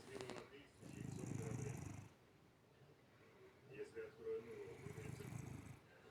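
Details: A sleeping cat snoring with its eyes open: two rough, low rasping breaths about four seconds apart, each lasting roughly a second, with faint background hum between them.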